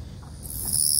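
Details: A male long-winged katydid sings a continuous, thin, high-pitched buzzing trill in a grassy field that starts abruptly partway through and holds steady, over low rustling and faint outdoor rumble.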